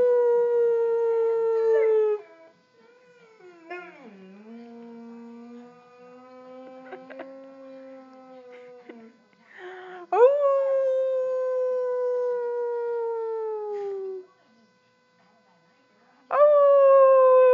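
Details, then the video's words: Boxer puppy howling: long sustained tonal howls with rich harmonics, the first slowly falling, a lower wavering howl around four seconds, another strong howl from ten to fourteen seconds, then a fresh howl starting near the end. "baby boxer howling"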